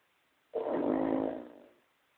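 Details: Toya, a pet pug, snoring indoors: a single rasping, breathy snort lasting a little over a second, which swells quickly and then fades, with nothing else audible.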